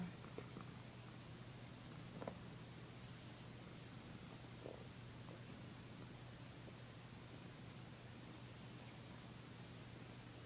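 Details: Pandy, a female pet cat, purring indoors while being massaged on a satin pillow; a soft, steady low hum runs unbroken throughout, with only faint occasional rustles and no talking.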